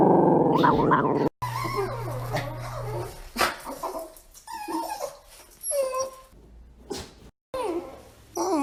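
A dog makes odd vocal noises: low rumbling growls mixed with wavering whines and short yips.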